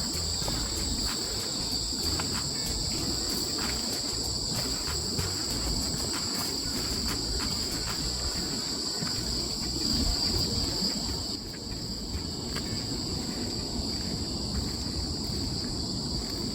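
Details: Autumn crickets keep up a continuous shrill trill on two high tones, briefly louder around the tenth second and then slightly softer, with a low rumble of background noise underneath.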